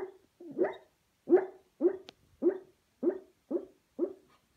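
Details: A sleeping Beagle named Junior, dreaming, gives a run of about eight soft, muffled woofs, each short and rounded, repeated roughly every half second in a quiet indoor setting.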